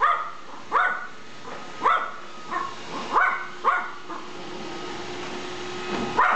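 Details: Small dog Gizmo yapping at a Roomba robot vacuum during their first encounter; short high barks spaced about one second apart over a constant mechanical hum.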